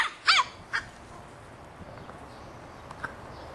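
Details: Boston Terrier puppy, three and a half months old, barking at a soccer ball: one loud, harsh doubled yap, then a fainter single bark a moment later, followed by quiet background.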